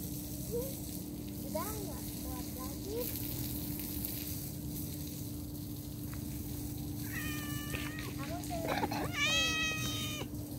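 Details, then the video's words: Domestic cat meowing amid separation, with a steady low hum and hiss throughout; after quiet early mews come two rising-falling harmonic meows near the end, the last one loudest. "funny and cute cat and separation is hard || cat lovers viral cat | meowing"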